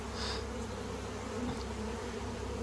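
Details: Honey bees from a 15-year-old hive removed from a house wall, marching into a box after extraction; a dense, steady low hum of many bees fills the air, with a brief higher hiss early on.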